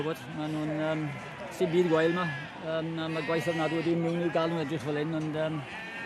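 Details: Balwen sheep, a shearling female, giving long, steady, nasal bleats, each held for over a second and repeated several times, over constant background chatter of people.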